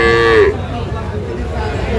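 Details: Local-breed dairy cow with calves at the Saturday Kaharol cattle market, Dinajpur, 28 June 2025: one short, clear, tonal moo that falls slightly at its end, then busy market bustle and men bargaining over prices.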